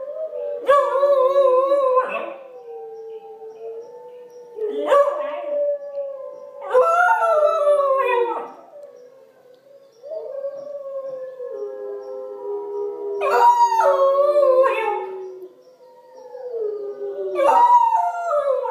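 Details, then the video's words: Pembroke Welsh Corgi puppy named Zoey joining in with wolf howls played from a computer; several drawn-out howls of a few seconds each, some sliding downward, overlapping steady lower wolf tones, with brief quiet gaps between bursts. "Corgi puppy howls along with wolves"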